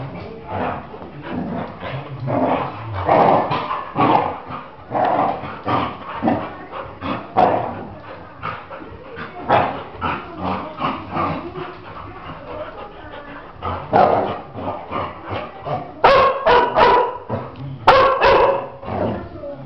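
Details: Labradors, two dogs; one grows nervous and takes it out on the other, giving a dense, nearly continuous run of rough barks and growly yaps for about twenty seconds, with sharper, louder yelps near the end.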